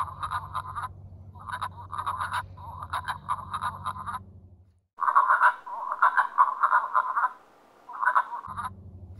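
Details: Wood frogs (Lithobates sylvaticus) chorus in mid-March at a vernal pool on Moose Hill Farm, giving quick, duck-like clucking bursts in rapid, overlapping runs.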